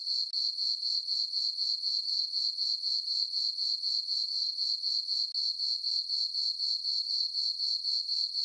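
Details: Night crickets in a summer meadow on a farm, full moon overhead, produce a constant high ringing chirp beating roughly four times per second, with a short gap early on and one later.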